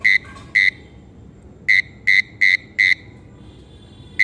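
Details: Frog or toad calling to attract a mate: short, steady, buzzy notes held on one pitch, given singly and then in a quick burst of four, with gaps of quiet between them.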